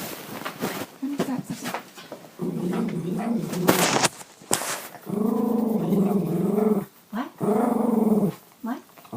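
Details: A female Bichon Frise "talks" back to her owner in long, modulated, wavering grumbles and whines that rise and fall almost like speech, while a woman chats to her between bouts.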